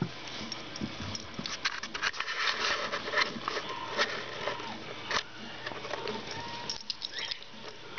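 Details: Diesel, a Siberian Husky, playing with Gizmo, a Chihuahua Yorkie cross: busy scuffling and patter, with short rough grumbles and a brief thin whine near the end, and a person's voice at times.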